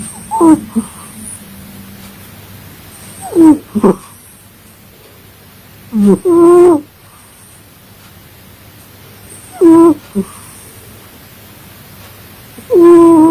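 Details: A cat asleep and snoring. Paired wheezy, whistling breaths come in a slow, uneven rhythm every three to four seconds, with quiet pauses between them.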